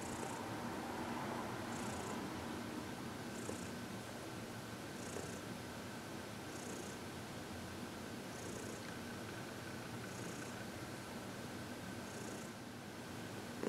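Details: Contented purring from Heidi, a 14-year-old adopted shelter cat, during a massage and reiki session in February 2021; even low purr continuing across the clip, punctuated by faint airy bursts about every one and a half seconds.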